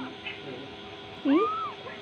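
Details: Playing kittens; one short meow near the end sweeps up in pitch and then arches down, over a steady low background hum, with people chatting just before and after.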